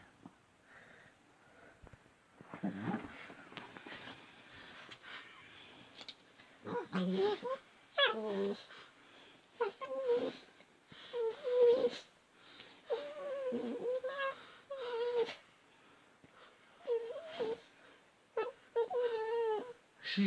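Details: Chatty at night, the female cat Bailey keeps up a long run of wavering, drawn-out meows and chirps, some quavering, spaced a few seconds apart over soft background rustling and a faint voice.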